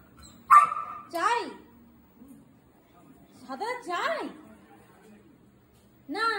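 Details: A pet Labrador Retriever lets out a few rising-and-falling barks in two or three clusters, separated by stretches of near silence, with people talking nearby.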